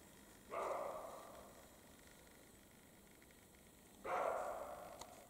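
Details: European roe deer, male and female, barking in the spring mating period in the Carpathian mountains; two harsh, hoarse dog-like barks about three and a half seconds apart, each trailing off, over quiet background hiss.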